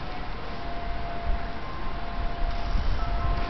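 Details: Dense low rumble of wind or traffic with thin steady chime-like tones and no barking or other animal sound.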